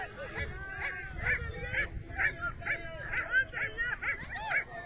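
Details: Hunting dogs chasing a hare give a fast run of ringing, arched bays, about two per second, in overlapping bursts over a low rumble of movement and ground noise.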